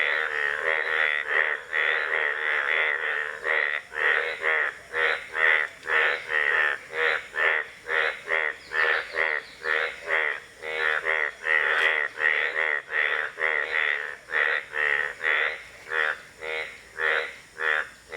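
An Indian bullfrog gives loud, nasal croaks in a steady series, about two each second.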